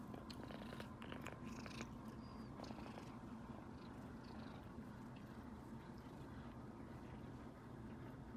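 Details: Contented kitten keeps purring while being stroked by its owner beside its relaxing older sister cats, one a tabby; a thick, low, steady purr is heard, with rustling and small clicks of handling in the first seconds.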